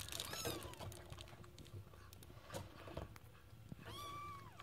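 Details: Scottish Fold kittens; a single high, arched, harmonic meow comes near the end after a few seconds of low rumbling background noise and faint clicks.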